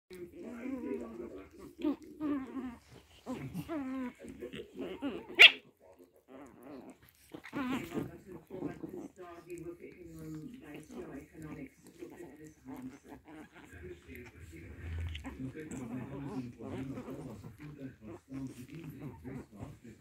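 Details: Pomeranian puppies playing, giving low grumbling growls and short yappy bursts, with one sharp high squeak partway through; human voices murmur in the background.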